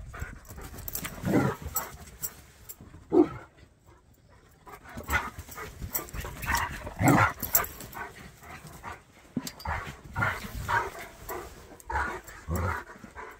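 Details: A Jack Russell and a Bernese at play, chasing one another, give scattered short gruff growls and snorts amid panting and rustling movement, with quiet gaps between the bursts.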